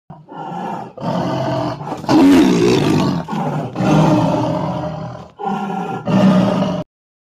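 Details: A white Royal Bengal tiger at Alipore Zoo, Kolkata, gives a run of deep, rasping roars, each lasting about a second.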